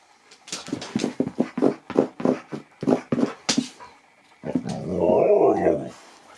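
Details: Nook the husky talks to his Easter egg indoors: a quick run of short, choppy woo-like vocal bursts for about three seconds, a brief pause, then one longer wavering, harmonic moaning howl.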